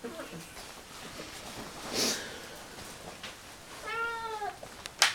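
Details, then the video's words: Siamese cat Bruno eating and talking at once, giving a clear drawn-out harmonic meow that rises then falls late in the clip, with chewing clicks, a sharp noise burst and a final click around it. "siamese cat, talking with his mouth full"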